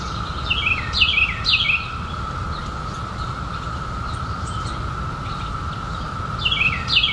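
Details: Periodical cicadas emerging in 2021 after 17 years underground form a steady, unbroken droning chorus. Several birds call over it with bursts of quick, descending, chirping notes near the start and again near the end.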